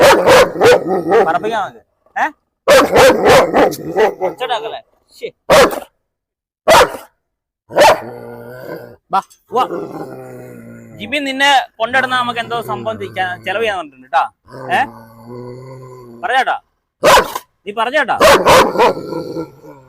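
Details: German Shepherd unleashed at a house in Perumbavoor during a dog challenge: bursts of loud, harsh barks in quick runs, broken by stretches of people talking over and between them.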